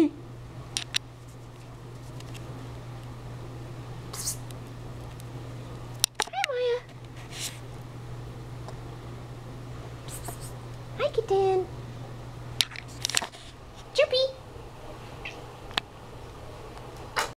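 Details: Kona, a pet cat indoors, chatters after his owner sneezes: brief chirping trills that fall in pitch come in bursts around six, eleven and fourteen seconds, set between human speech over a steady low hum.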